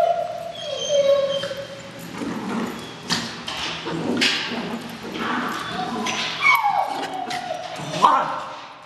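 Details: Playtime between young Jack Russell Tirna, seven months old, and Scarlet the Puggle at City Bark in Parker; drawn-out whines and short yelps come and go over scuffling and background noise.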